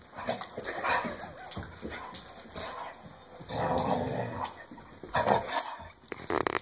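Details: Dog shaking and playing with a Kong bone toy indoors, giving bursts of low, rough growls and brief whimpering yips, while a person eggs it on in the background.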